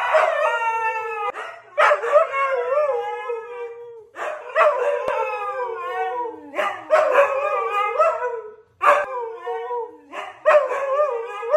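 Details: Siberian Husky brothers on a football Sunday trade long wobbling howls, each phrase starting sharply then gliding downward, repeated in bursts every two seconds or so with voices layered.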